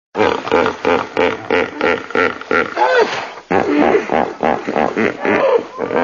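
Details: Hippopotamus giving a rapid run of deep, resonant grunts, about one per third of a second, in a chuckling, honking series that pauses briefly midway and then resumes.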